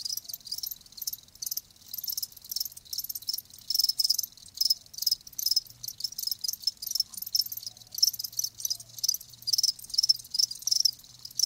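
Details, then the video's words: Live crickets, several chirping at once in a dense, high-pitched chorus of rapid trilled pulses, bursts overlapping with no clear single rhythm, with no other sounds. "Live Crickets 60min "Natural Sound""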